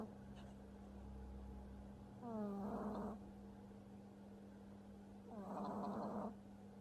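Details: Sleeping French Bulldog puppy snores heavily, with harsh buzzy inhalations that start with a short rising tone and come roughly every three seconds. A constant low electrical-sounding hum continues underneath.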